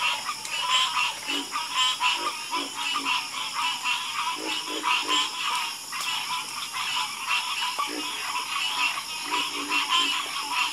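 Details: Dense frog chorus at night, rapid rattling croaks from many frogs overlapping continuously, with occasional deeper short notes and a constant high background hiss.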